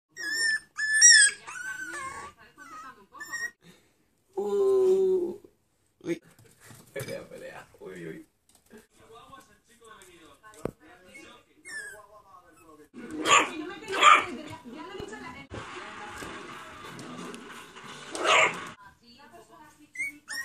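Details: Two-month-old Toy Poodle puppies, facing their first obstacles, give high, thin whimpers and squeaky whines while a person talks to them and calls them over.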